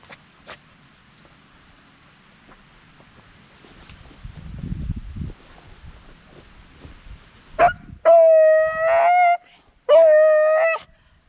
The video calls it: Scampi Beagle howls & hollers plus a quick sneeze